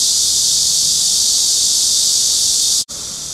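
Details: Cryptotympana atrata cicada song captured with a Sony PJ820 and ECM-XYST1M mic: steady, intense, high-pitched hissing drone, broken by one brief gap near the end before resuming slightly softer.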